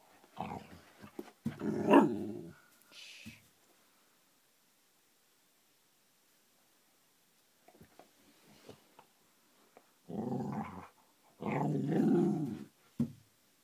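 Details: Cardigan Welsh Corgi, a tennis-ball-obsessed dog, making an odd growling, purring bark while handing over a ball indoors; short rough bursts near the start, a quiet gap, then two longer low growling stretches near the end.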